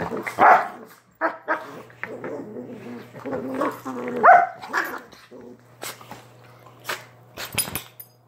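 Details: Chihuahua indoors giving two sharp barks about four seconds apart, with low rumbling growls and soft grumbles between them over a steady background hum.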